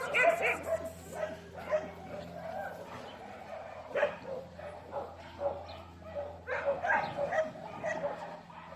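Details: Dogs with a person named Jacob, giving high yips and whimpering cries in short bursts, some overlapping, with faint speech and a steady low hum beneath.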